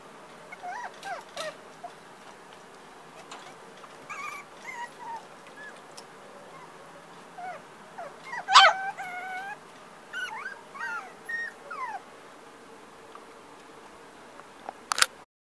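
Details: Black tricolour puppy from a breeder whimpering with thin, wavering high squeals scattered throughout, a louder cluster in the middle, and a sharp click near the end.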